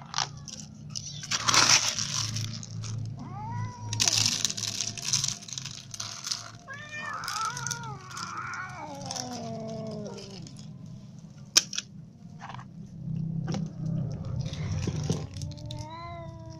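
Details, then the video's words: Little and adult cats waiting to be fed; bursts of broadband rustling and clatter mixed with several wavering meows in the middle and a few short meows near the end. "Hungry little cats and adult cats waiting to be fed"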